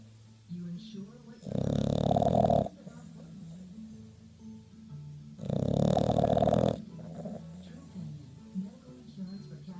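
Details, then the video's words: A pet bulldog snoring: two loud, rasping, low snorts a few seconds apart, each lasting about a second, with quieter breathing and faint background noise between them. "the bulldog snores"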